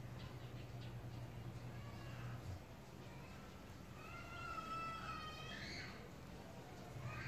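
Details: Domestic cats hiding in their favorite place while being watched; one drawn-out, slightly wavering meow sounds around the middle, with fainter shorter mews before and after over a steady low hum.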